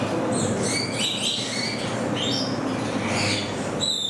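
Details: Degu calls at Saitama Children's Zoo in Japan, 15 September 2020: a rapid run of thin, high chirps and brief whistled notes, some slurred upward, over steady background noise.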